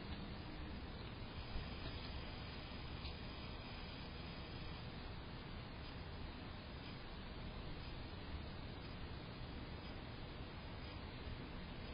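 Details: Steady broadband rumbling noise like passing traffic or wind fills the whole recording, with no animal calls.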